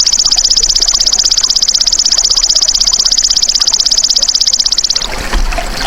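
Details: Golden grasshopper natural call, used as a tutor for songbirds. A strong, fast-pulsed high trill runs unbroken for five seconds, then stops abruptly, leaving a brief rustle of background noise.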